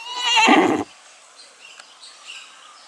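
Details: One horse-like whinny from a goat that thinks it is a horse: a shaky, buzzy cry just under a second long, then near quiet with faint birds.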